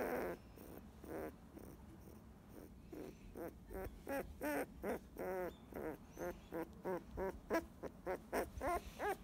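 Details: Fifteen-day-old field-type Labrador Retriever puppy growing sleepy while being stroked as it basks in the sun: a steady series of short, harmonic whimpering squeaks, each under half a second, coming several per second with brief pauses.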